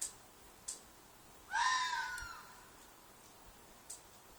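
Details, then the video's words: Loud fox shriek from a field behind an apartment: one raspy, drawn-out scream of about a second that trails off, with a few soft ticking sounds before and after. "Fox Noise - Fox shriek/call/cry/mating call"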